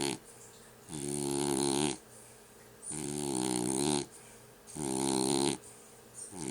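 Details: French Bulldog asleep and snoring: about four heavy, gravelly inhalations of around a second apiece, buzzing and slightly wobbling in pitch, with short quiet intervals between them.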